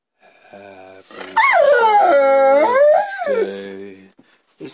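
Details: Rhodesian Ridgeback howling along as a person sings Happy Birthday indoors; a long, wavering, tuneful howl swoops up, holds, and slides down over two seconds after a brief human sung phrase.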